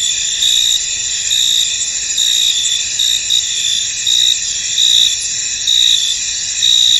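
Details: In a foggy field, crickets keep up an unbroken high-pitched ringing chorus, with sharper chirp pulses recurring roughly every second on top of the steady hum.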